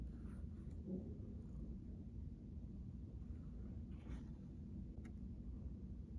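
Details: Indoors on a carpet, the cat Kiki keeps up a continuous deep rumbling purr as she is petted in her brown bag, with faint soft rubbing and scratching noises over the even low drone.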